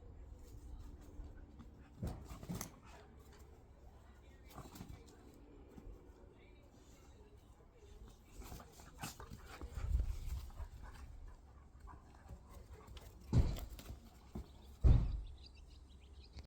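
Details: A Rottweiler, after getting rubs, lets out a few abrupt, explosive sneezes, each a brief burst of breathy noise, amid quiet snuffles, handling rustles and a faint human voice.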